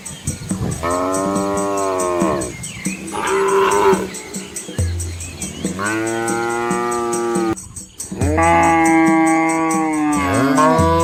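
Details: Village cattle and young calves following their mothers along a country road among rice fields in Asia; repeated long harmonic moos, some bending upward, others deeper and flatter, with low grunts between and a constant high buzzing whine throughout.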